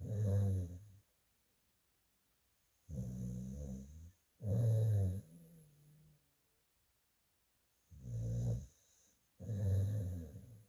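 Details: Sleeping rescue dog up for adoption, snoring: five deep, rumbling, low-pitched snores, each lasting about a second, coming every two to three seconds with near silence between them.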